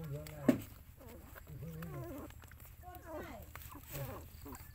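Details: Mother dog looking after her puppies; a high, wavering whine bends up and down in short harmonic yelps over about five seconds, with a sharp click near the start and a low hum beneath.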